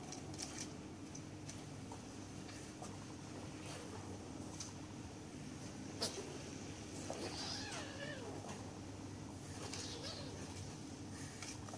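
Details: Bengal kittens sparring in play at a pet shop in Kuching, Sarawak, Malaysian Borneo. Faint thin mews with wavering, arching pitch come late in the scuffle, over soft patter, taps and a steady indoor hum.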